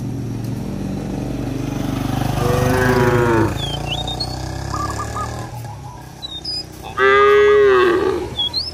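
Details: Village cattle wandering a field and mooing to call their companions home to the barn; two long, deep, wavering moos several seconds apart, with high bird whistles scattered through a rural backdrop.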